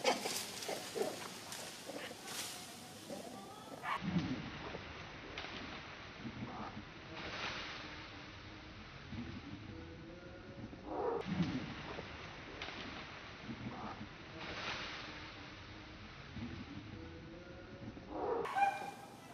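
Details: Monkeys on a mountain, a big monkey frightening the baby monkey Saro: loud, harsh bursts with short arching harmonic cries, spaced several seconds apart, over steady rustling background noise.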